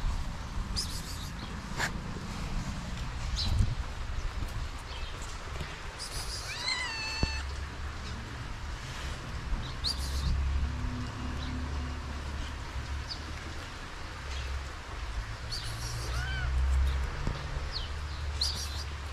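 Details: Hungry abandoned kitten in Morocco, hesitating to approach, gives one clear, high, wavering meow midway and a fainter meow later, over a steady low rumble of background noise.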